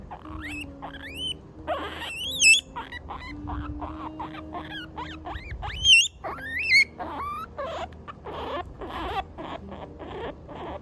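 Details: Pet guinea pig crying while being scratched on the right spot, giving high rising and falling whistled squeaks in bursts, with soft rustling and a faint steady tone underneath.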